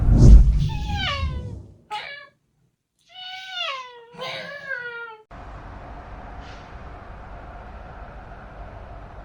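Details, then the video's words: Domestic cat calling with a run of drawn-out meows, bent and wavering in pitch, several in quick succession, then falling quiet into a steady background hum; a loud knock opens the recording. "Cat's funny sound"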